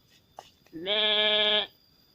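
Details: Young goat bleating while being bathed: a single drawn-out, nasal bleat lasting nearly a second, preceded by a few faint clicks and sounds of handling.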